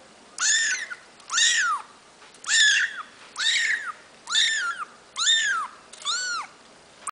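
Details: Kittens, three females and one male, born 8 August 2012 in Pavlovsky Posad, Russia: seven loud, drawn-out mews, each rising then falling in an arch, spaced about once a second in a quiet indoor setting.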